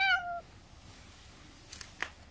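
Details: A weak, possibly old or sick feral cat at a rural house, barely able to open its eyes, gives a short, falling, nasal meow, begging for more after eagerly eating cat treats.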